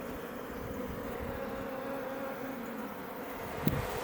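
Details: Many Iberian honey bees building comb at a Langstroth hive near Roquetes in south Tarragona, Catalonia, Spain, close to Els Ports National Park; an unbroken low drone of wingbeats, with one sharp click near the end.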